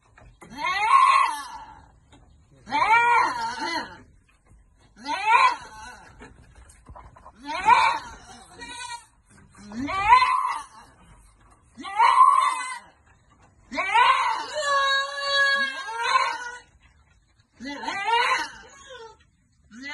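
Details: Goat farm in the Philippines, goats being given vitamins; a steady series of loud quavering bleats roughly every two seconds, one long trembling cry in the middle, voices faintly underneath.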